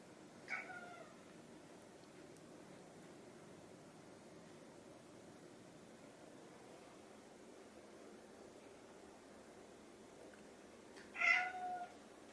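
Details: Hungry house cats Chai, an orange tabby, and Sushi, a grey tabby, calling for food; a brief meow at the start, a long quiet gap, then a louder wavering meow near the end.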